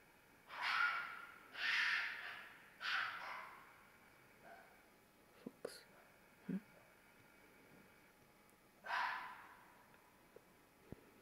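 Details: Fox screams heard in mating season: three harsh, raspy cries in quick succession about a second apart, a pause with a few sharp knocks and clicks, then one more hoarse scream.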